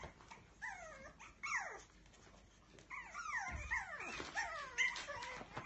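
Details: Young Biewer Terrier puppy whimpering insistently: a run of high, descending whines, several falling steeply like little sighing cries, coming in quick bursts with a short silent gap midway, then growing busier and overlapping.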